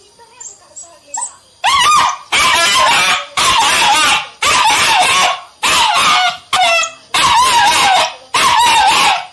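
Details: Sweety, a three-month-old Indian German Shepherd puppy, barking in a steady series: eight loud, harsh, high-pitched barks about once a second after a quiet start with faint softer noises.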